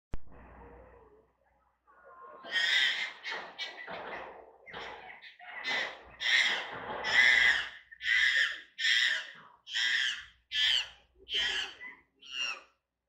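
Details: Captive chimpanzees at Tama Zoological Park in Hino, Tokyo, in a group that includes a baby. Soft breathy sounds build into a run of about ten loud, shrill hooting screams, one roughly every 0.7 seconds, growing harsher toward the end.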